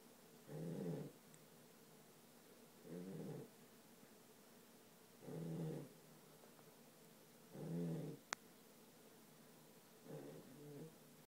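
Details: Dog named Charlie snoring while asleep, five harsh breathy snores spaced roughly every two and a half seconds, one sharp click midway, otherwise still surroundings.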